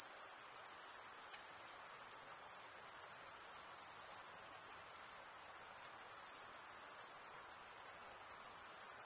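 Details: Crickets stridulating in a steady high-pitched trill, sustained and uniform for the whole stretch, with only slight swells in loudness and nothing else audible.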